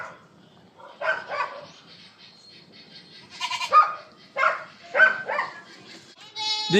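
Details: Goats being herded by a newly hired goat shepherd, several wavering bleats rising and falling between bursts of human speech, ending with a louder, higher bleat.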